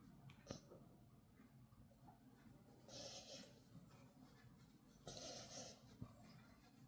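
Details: Pet puppy snoring loudly, its snore likened to a dad's: two long, breathy, rasping snores, each lasting under a second and spaced about two seconds apart, over a low steady rumble with a few soft clicks and rubbing sounds.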